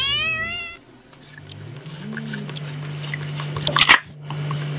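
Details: A domestic cat from a compilation of funny cats and kittens lets out one short, clear, tonal meow that holds its pitch, followed by a steady low electrical hum and a brief rattling clatter.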